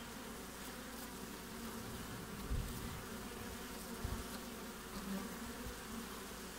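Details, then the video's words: Honey bees at the front of a hive during the Australian winter, 20 June: continuous low buzzing hum with two louder thumps as bees land or pass close to the microphone. "WINTER BEES front of the Hive Acivity Australia"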